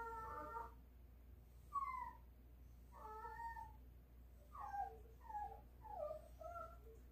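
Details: Pet dog Ttolttori whining for meat early in the morning as it thaws; a string of short, choppy high whimpers, some doubled, rising and falling in quick bursts indoors.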